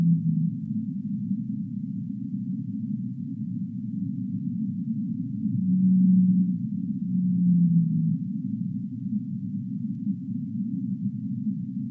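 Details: Whale of the deep sea giving a pair of long, low hums near the middle, the second tone drooping in pitch, surrounded by steady muffled low-frequency rumble.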